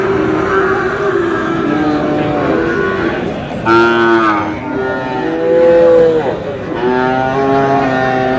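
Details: Sahiwal bull calves calling at the start of trading at Aftabganj haat, Dinajpur, 4 August; a sequence of long, rich harmonic moos, one sharply rising then falling, others steady and drawn out, with market voices beneath.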